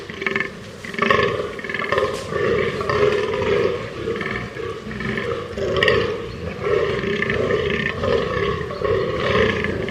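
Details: Fallow deer calling: a run of deep, hoarse, belch-like groans, each about a second long, coming in close succession with brief dips between them.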